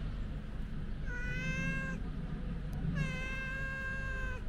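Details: Outdoors, a white stray cat gives two drawn-out, tonal meows about a second each, even in pitch with a faint downward slide, against a steady low hum of street noise.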